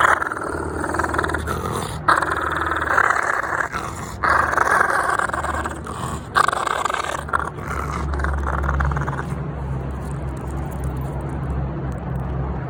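A French Bulldog growls low and steadily, a rumbling warning to keep away from its ball.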